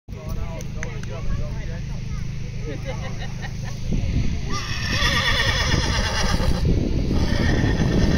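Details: A female horse (Equus caballus) whinnies with a wavering, shaky call to her companion horse, over voices and a low rumble.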